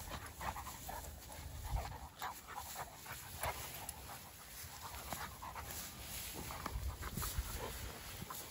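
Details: Two Dogo Argentino dogs playing outdoors, breathing in quick, breathy puffs that come in uneven bursts, with a steady low rumble of wind or handling noise underneath.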